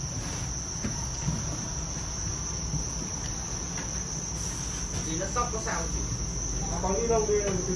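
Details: Farmed Thai crickets raised for sale in northern Vietnam make a continuous high, shrill trill that runs unbroken throughout, with faint low voice-like sounds late in the recording.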